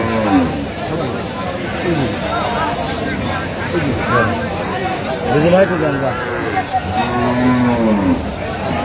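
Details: At the Aftabganj market in Dinajpur, where cows with calves are traded on 14 October 2025, a level, sustained moo sounds near the end among overlapping bargaining voices and busy market chatter.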